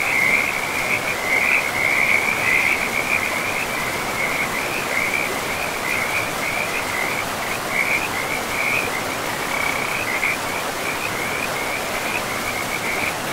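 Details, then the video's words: Frogs calling beside a river in a pristine forest of moss-covered land: a steady band of rapid, trilling pulses runs the whole time, overlapping and unbroken, above a constant broad rush of flowing water. "River and Frogs sleep sounds"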